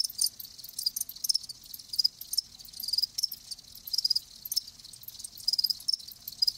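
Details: Live crickets chirping in short, high bright pulses clustered in irregular bursts, several chirps often in quick succession with brief gaps between.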